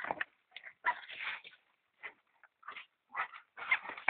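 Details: European polecat and ferret kits while feeding, giving short squeaky whimpers and chirps in bursts of under half a second, separated by brief silent gaps, some bursts grating and chattering.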